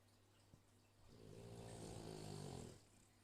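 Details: Dogs snoring while asleep: one drawn-out, low, rattling buzzy snore swelling and fading over nearly two seconds in a quiet room.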